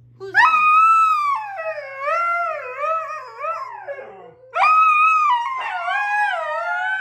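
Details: Four Siberian huskies howling together: layered, wavering tonal howls slide up and down against each other in a long first chorus, a brief pause, then a second loud chorus with fresh rising entries near the end.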